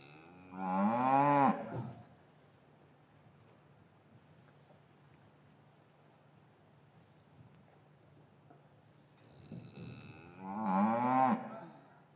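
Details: Two loud, rich moos from cattle in an English farm yard, winter afternoon, calves taken from their mothers; one call opens the clip, a long quiet pause with a low steady hum follows, then a second similar bellow near ten seconds.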